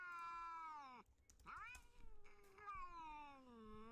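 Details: Domestic cats outside a house at night, seen through a home infrared camera, sitting in a row beneath it and trying to get in: long, drawn-out wailing meows that slide downward in pitch, three in a row, with faint clicks between them.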